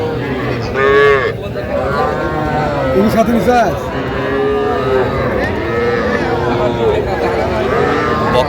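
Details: At Aftabganj market in Jamalpur, Bangladesh, on 25 October 2025, heifer and bull calves are shown to buyers. Several overlapping moos, some wavering, repeat across the clip. Men talk nearby.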